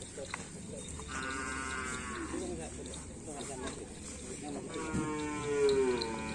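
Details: Bull-racing cattle from a karapan sapi team give two long moos that bend downward in pitch, one early and one near the end, over steady music and a murmur of people.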